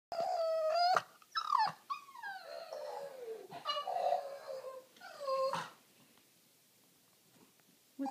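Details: A Boston Terrier has a meltdown while struggling to find an indoor place to hide a bone, whining in drawn-out, wavering moans that bend up and down, broken by short yelps.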